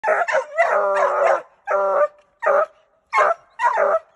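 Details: Treeing Walker Coonhound giving loud, harmonic baying barks: one long drawn-out bawl early on, then four shorter barks spaced about half a second apart, each with a slightly rising, ringing tone.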